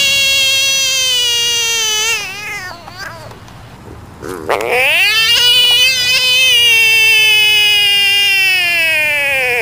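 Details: A caught frog screaming loudly and continuously, a rich harmonic wail with a wavering, slightly falling pitch, broken by a short dip mid-clip before the cry swells again and carries on steadily.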